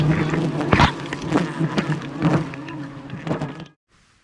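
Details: Aggressive swarm of thousands of wild bees attacking a honey hunter high above the jungle during wild honey harvesting: a dense, steady low drone with a few sharp clicks and knocks, ending abruptly in silence.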